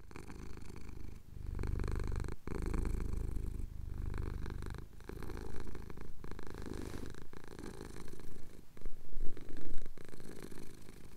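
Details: Domestic cat purring while having his chin scratched, recorded at sunrise over the Cotswold hills on a Tascam DR-07X; a steady low rumbling purr with rhythmic pulses, broken by brief pauses and a few louder shifts near the end.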